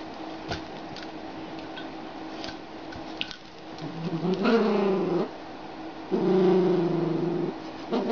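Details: English cocker spaniel and boxer playing, one dog giving drawn-out, tonal growls: a long rumbling note past the midpoint and another near the end, each over a second, after quieter scuffling sounds.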